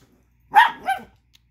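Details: Chihuahua pup angered over a tiny bone another dog chews, giving a single two-part bark, a loud yap followed by a softer second note.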